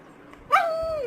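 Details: Labrador Retriever begging for a carrot, letting out a sudden whine that jumps up and then trails off in a drawn-out tone, falling slowly in pitch.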